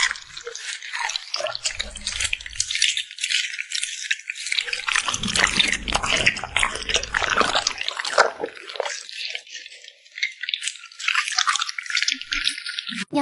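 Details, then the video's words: Cute puppy smacking its lips while eating, recorded indoors up close: a dense, continuous run of wet clicks, smacks and crunchy chewing, busiest in the middle and ending with a few scattered louder smacks. "the sound of a cute puppy smacking its lips"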